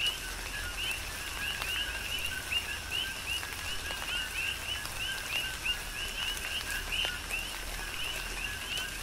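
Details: Coqui frogs heard amid tropical rainfall on the Big Island, Hawaii: loud, regular two-syllable chirps with rising high whistles, several frogs in rhythmic overlap, plus a steady wash of rain and distinct drop hits.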